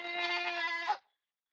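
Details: Goat left alone by its herd in a village, calling: one loud, bright, wavering bleat lasting about a second, then silence.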